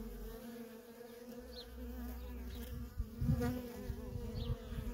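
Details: Nonstop traffic of worker honey bees at a feral colony: continuous droning hum with a low rumble underneath, individual bees zipping close by around the third second with a louder, wavering buzz.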